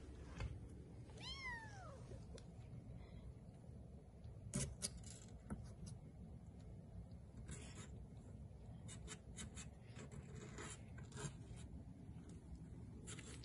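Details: Bengal kittens, three weeks old, playing indoors at a Kalama, Washington cattery; a single clear, arching meow sounds early, followed by scattered clicks, taps and rustling from their play over a steady low hum.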